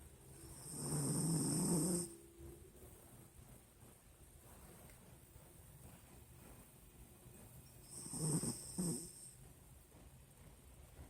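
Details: Nina, a sleeping Pinscher dog, snores in two loud rasping bursts, the first lasting about a second, the second shorter and doubled, separated by quiet breathing in a small indoor room.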